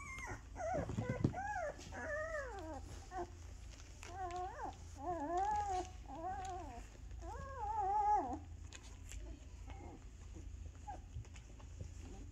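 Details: Bella's two-week-old puppies, eyes just opening and starting to walk a little, whine indoors in clusters of high, arching, harmonic squeals that rise and fall quickly, followed by a quieter stretch of rustling over a low hum.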